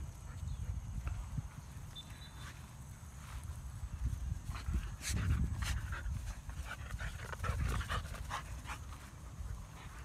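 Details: Siberian Huskies at a field after running exercise, panting in fast irregular breaths that swell in loudness around the middle and again later, with a steady low background rumble outdoors.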